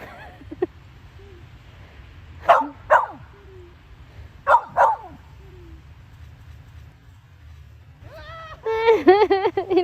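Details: A Samoyed called Gyeoul, outdoors at the first snowfall of 2020, responds to the owners pretending to collapse. Paired short barks come twice, then a run of high, wavering whines closes the clip, with voices around.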